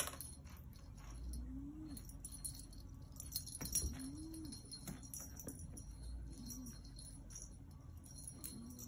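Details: Talking from Yoda, a black Maine Coon: quiet low curved chirps, each a brief rise and fall, spaced irregularly, with clicks, jangling and a steady background hum.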